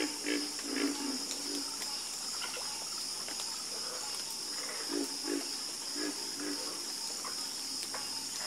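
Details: Frog chorus after dark: clusters of deep, short croaks in bursts, several frogs calling in turn, beneath a continuous high-pitched insect buzz.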